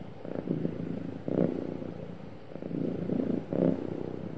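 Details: Happy domestic cat purring smoothly, a low continuous rumble in waves that swell and fade roughly every second, with steady faint background hum.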